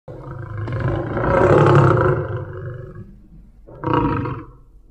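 A tiger gives a deep, rasping roar that swells and fades, then a shorter second roar.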